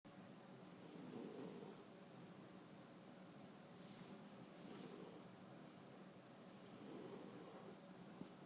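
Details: Sleeping French Bulldog snoring, three long rasping breaths about every three seconds, each with a hissing whistle on top and a low rumble beneath, in a quiet room.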